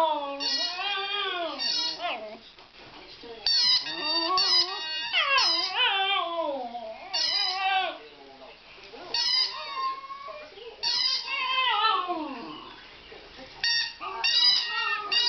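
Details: Meg, a Border Terrier dog, singing in bursts of wavering howls that slide up and down in pitch, with brief pauses between phrases.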